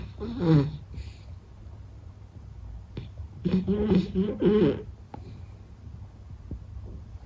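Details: A sleeping Beagle called Meta gives soft, rasping snores. A brief rough snort comes first, then a longer wavering rumble of two or three pulses, with quiet pauses of breathing in between.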